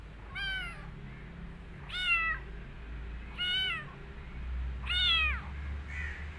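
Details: Kitten running away and hiding in a jacket meows repeatedly, four clear harmonic meows roughly one second apart, each rising then falling, with a low steady hum behind.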